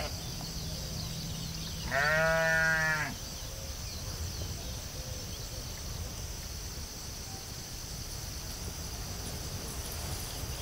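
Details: A single sheep's bleat in a field, loud and harmonic, lasting about a second near the start, followed by several seconds of steady outdoor background noise with no further calls.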